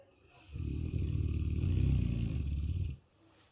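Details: A sleeping Dogue de Bordeaux named Marshall snores in a long, low, rumbling drone lasting about two and a half seconds, with a fast fluttering rattle to each breath and faint higher hiss above.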